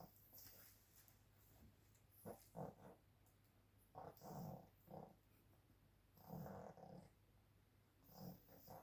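A pug makes brief, rough growls and snuffling grunts, coming in uneven bursts every couple of seconds. These are playful noises, heard over a steady low hum in a quiet room.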